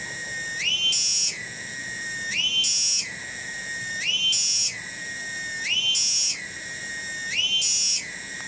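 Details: Cicada known locally as tonggeret, in a garden at Kampung Bunder, Cibening, Bungursari, Indonesia. It produces a piercing continuous drone that repeatedly climbs into a higher, harsher pulse and settles back, five cycles evenly spaced.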